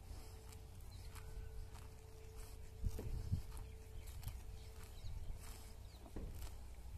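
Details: Grazing cows at a village house crop grass with scattered crisp tearing crunches, a louder cluster near the middle, set against a low outdoor rumble and a faint constant hum.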